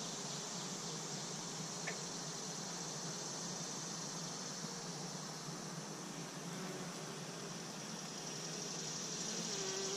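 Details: Honey bees humming at three Apimaye beehives, one recently requeened: a dense, steady broadband drone fills the whole clip without pause, with a faint low hum underneath and a brief click near the two-second mark.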